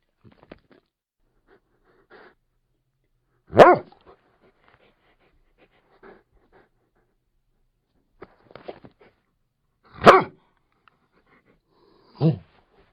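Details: Labrador Retriever giving three single deep, loud barks spaced several seconds apart, with faint snuffles and small movements in the quiet gaps.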